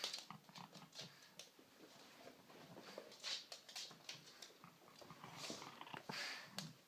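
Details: Female pug celebrating finally getting her bone, a gift usually received after a walk or trip; rapid snuffly snorts and breathy grunts in uneven bursts inside a small room.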